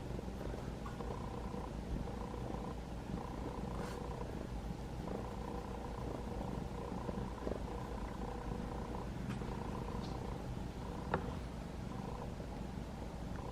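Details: Rescued kitten of about five months, caught in a trap-neuter-return effort with a sibling, purring while being stroked on days 20 to 21 of care, its purr growing louder; a steady low rumbling throb runs throughout with faint soft taps.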